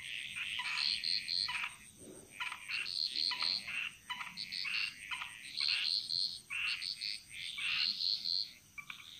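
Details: Frogs singing together in the jungle of Bali, rapid repeated high-pitched notes and short croaks from many callers, roughly four per second, over a steady high-pitched hiss.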